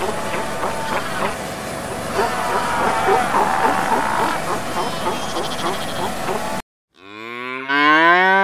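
Busy, hissing outdoor background with faint clicks and chatter fills the first part. After a brief pause, a cow lets out a full, resonant moo that climbs and strengthens toward its end.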